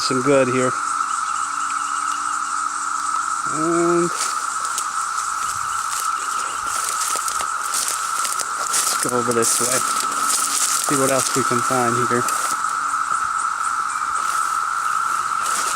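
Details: Cicada swarm in Virginia's Cumberland State Forest: a steady, high, unbroken droning chorus runs throughout, with people talking in short bursts and scattered crackling and rustling in the middle stretch.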